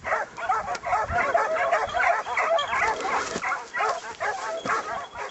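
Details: Pack of hunting hounds (kopoy) giving voice during a hare hunt just after the hare has been flushed, overlapping excited yelping barks and bays in a steady chorus, a man's voice faint in the background.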